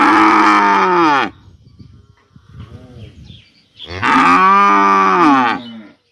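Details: In a village in the morning, a cow gives two long, loud moos, calling to another cow that was taken away separately for vaccination.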